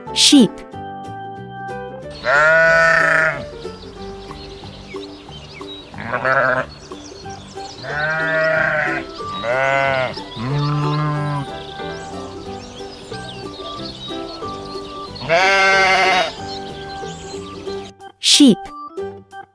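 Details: Goat bleating: two loud, quavering bleats against a rough, noisy outdoor background, then, after an abrupt cut, two softer wavering bleats over gentle background music, ending with a short sharp sound.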